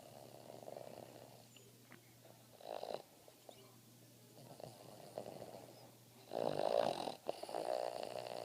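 A Boston Terrier snores in rough, rumbling bursts, growing louder toward the end.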